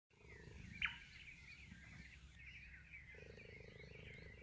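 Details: A captive cheetah at a wildlife centre in Bela Bela, South Africa, purrs in a steady, low, throbbing rumble that carries on without a break.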